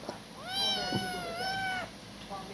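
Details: Kitten crying while sucking a finger, as though not yet weaned from its mother; a single long meow rising then gently wavering before fading, followed by a short faint second cry.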